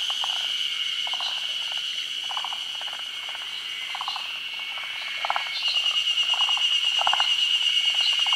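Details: Midday spawning gathering of forest green tree frogs in Japan's rainy season, over still water. Rattling bursts of quick pulses come several per second in loose groups, set against a constant piercing high whine that grows louder toward the end.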